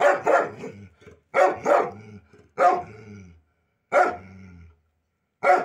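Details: Loud Pit Bull barks, a pet from a pair including Simba, each bark doubled or single and trailing into a low rough growly tail, spaced about a second apart.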